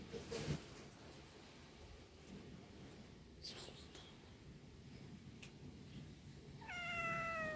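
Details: Cat giving a single drawn-out, slightly falling meow near the end, after several seconds of quiet rustling and faint background noise with a few soft knocks.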